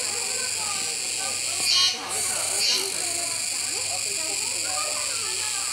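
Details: Kuroiwa cicada song fills the air at Neo Park Okinawa on 16 October 2021 as a capybara eats. A steady piercing hiss surges twice about a second apart, briefly dropping out between, over faint distant talking.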